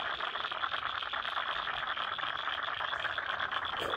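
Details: Frogs calling in a wetland in Lane Cove National Park, Sydney: a dense, continuous chorus of rapid clicking and croaking notes from many frogs, steady throughout, with a bright band of overlapping pulses.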